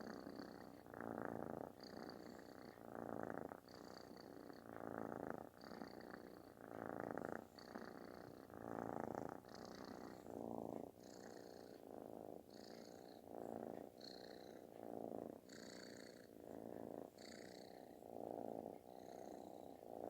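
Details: Affection-seeking kitten giving a booming, snore-like purr; steady rasping rumble pulsing in regular swells about every second, inhale and exhale phases clearly alternating, in a quiet indoor setting.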